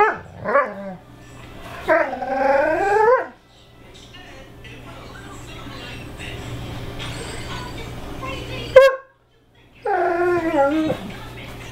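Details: Greyhound 'talking' to its sister: drawn-out wavering whines and moaning yowls that bend up and down in pitch, two long vocal bouts separated by a quieter stretch with low background hum and a sharp click.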